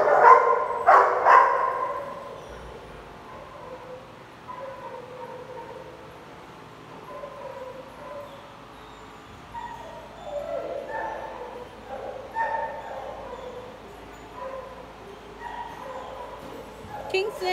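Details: Big dogs in a play group: two loud, sharp barks open, then quieter yips and whining calls scattered over low background noise.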